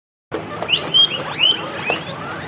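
A guinea pig gives shrill, whistled wheeks, repeated rising squeals, as it sees food.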